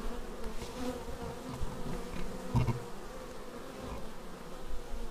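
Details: Bees arriving at their beehive, recorded on a Xiaomi Yi action camera: a quiet, even hum of wings with a faint louder buzz midway as one bee comes near, over a low background rumble.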